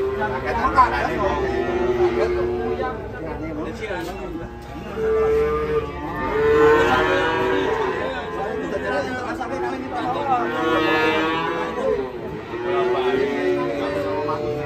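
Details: Agitated cattle rampaging after coming down from a truck and falling into a ditch. Several long, deep, drawn-out moos rise and fall over about fifteen seconds, with people's voices and chatter mixed in throughout.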